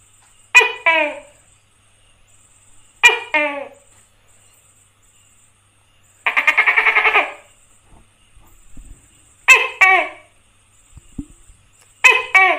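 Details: Tokay gecko fed crickets, captured close up on a phone: loud, ringing, downward-sliding two-note calls repeated every few seconds, broken by a harsh pulsed rattling burst midway, with a few soft knocks in between.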